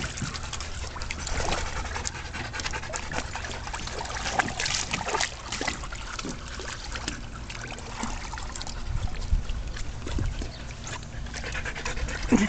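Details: Adoptable shelter dogs, among them Twilight, Juno, Crystal and Tek, at playtime; steady rapid breathy panting runs throughout, with trickling, splashing water in the background.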